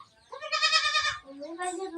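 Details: Hungry domestic goat kid, released in the morning in Sangli to drink its mother's milk, gives a loud, nasal, wavering bleat lasting about a second, then a second rising bleat overlapped by a person talking.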